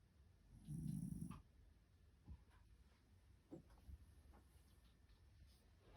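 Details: Sleepy white Shiba Inu dog snoring: one low, rumbling snore lasting about half a second, followed by faint soft breaths and small clicks in a quiet room.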